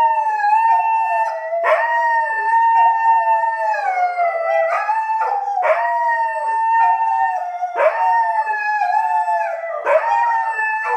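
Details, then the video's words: Two dogs in a morning howling chat; continuous loud overlapping howls with steady wavering tones, broken every two seconds or so by sharp downward yelping slides where one voice restarts. "having a morning chat"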